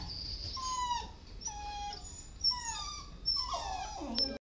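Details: Dog at an animal shelter giving a run of high, drawn-out whining yelps, each a clear tone sliding downward, roughly one per second, over a low background hum.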